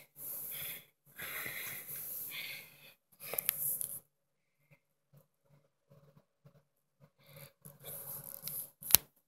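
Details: Puppy American Bully, a little female, making soft wheezy snuffling breaths indoors, short bursts of airy noise separated by quiet gaps, with a few faint clicks.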